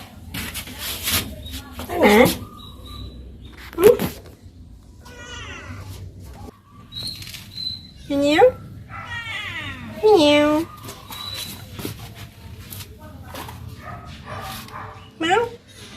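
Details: Pet cats playing with a woman: several loud, drawn-out meows that rise and then fall, scattered across the stretch at about two, four, eight, ten and fifteen seconds, with a woman talking softly between them.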